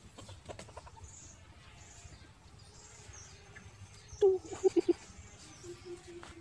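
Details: Newborn puppies of a family dog give a burst of short, high squeaks and whimpers, four quick yelps in a row followed by a softer drawn-out whine, with faint bird chirps and low rustling behind.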